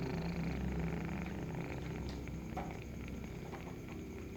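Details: Kitten purring as it nurses: a steady, throaty low vibration with quick rhythmic pulses, strongest at the start and easing slightly, with light rustling noises over the top.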